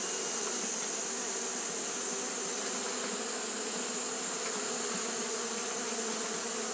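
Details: Steady fanning hum from Japanese honey bees on a hot day, low and flickering, layered under a loud, continuous high-pitched hiss; no pauses or breaks.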